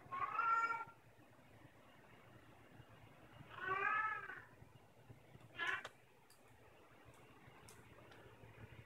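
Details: House cat upstairs with her toy mouse in her mouth, giving two drawn-out harmonic meows followed by a short higher meow, with faint clicks and low room hum between calls.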